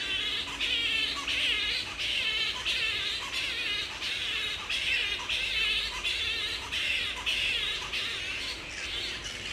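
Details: Wild grey-headed flying foxes at Woodford, Australia, in mid-April during the peak of the breeding season, with mating pairs roosting together; harsh, squabbling squawks with wavering tones, bursts repeating roughly every half second throughout.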